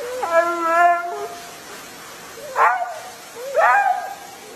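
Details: Husky described as a flirty crybaby gives a drawn-out, steady, moaning whine of about a second, followed by two shorter, sharply rising yelping cries a second apart.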